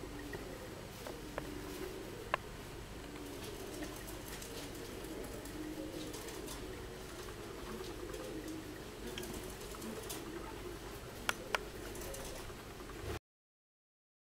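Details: Inside a UK honey bee hive holding a marked queen, workers and drones: continuous low droning of massed bees, even and unbroken, with a few scattered sharp clicks and taps over the top before an abrupt cut-off.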